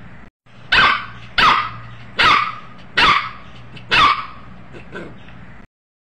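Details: A puppy barks in a series of five sharp, bright barks roughly every 0.7 seconds, the last one trailing off into a softer yip, over a low steady hum.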